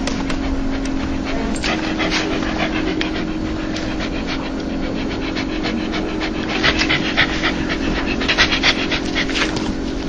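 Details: Dog laughing when happy or joyful: quick breathy panting pulses, about three to four per second, steady throughout, over a constant low hum, getting slightly stronger near the end.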